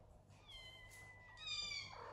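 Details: Kittens in a big house shared with many pets, looked after by adult animal nannies; a thin, high meow held steady and then stepping down in pitch, followed by a brighter second cry over faint room hiss.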